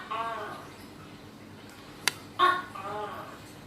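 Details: Tokay gecko calling: the end of one harmonic croak opens, then after a quiet gap comes a single two-part call, a harsh burst followed by a lower, arched, nasal note. A sharp click sounds just before.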